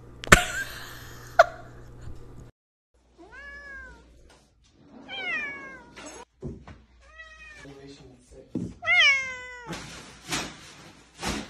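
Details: Domestic cat in a funny-cat compilation mews repeatedly in short bursts, some drawn out and falling, others brief and clipped. A loud knock opens the sequence, with scattered thumps between calls.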